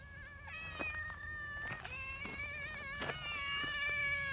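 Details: Nyahha, an affectionate brown tabby community cat in Japan, called the king cat, calls loudly after arriving from the mountain: a long, wavering, drawn-out meow with several overlapping tones, punctuated by sharp clicks and taps against a low background rumble.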